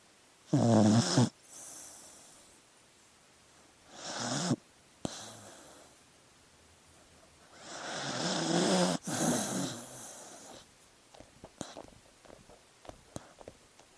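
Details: Sleeping dog snoring: two short harsh snores, then a longer rasping one with low rattling tones near the start and end, separated by quiet pauses, with faint clicks and rustles in the final seconds.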